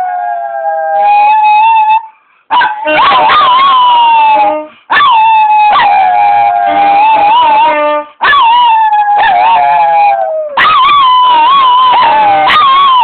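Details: Two dogs howl along to a live saxophone, their wavering, sliding voices rising and falling over long, steady sax notes in several bursts, with short silent breaks between phrases.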